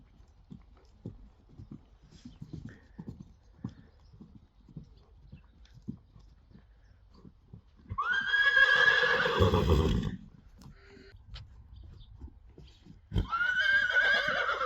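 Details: Friesian horse at a stable, during a lunging session, giving a loud, shaky whinny lasting about two seconds, then another starting near the end, with steady clip-clop of hooves beforehand.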